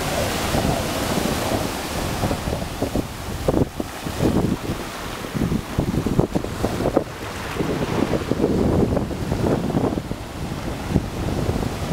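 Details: Ocean waves break on the shore while strong wind buffets the microphone throughout, with no other sounds standing out.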